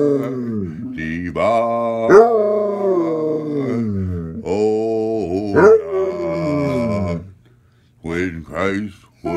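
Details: Basset hound howling along as a person sings a Christmas carol; long wavering howls that slide downward, overlapping the human singing and a low sustained accompaniment, broken by brief pauses near the end.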